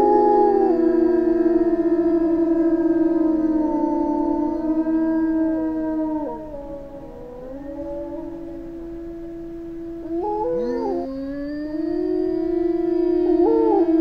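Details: A pack of gray wolves in a jungle howls together in long, drawn-out tones that slide up and down and overlap.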